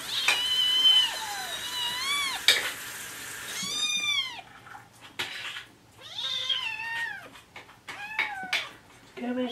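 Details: Morning chorus from the kittens Jugg, Anita and Ru begging for food: loud, drawn-out arching meows, several overlapping, rising then falling, with brief clattering and stirring sounds between them.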